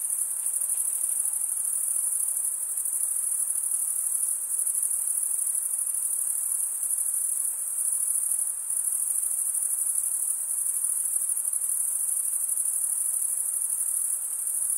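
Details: Dense night-like chorus of chirping male crickets, stridulating with serrated wing veins, sustains a bright high-pitched trill throughout, with small swells and brief dips around the eighth second.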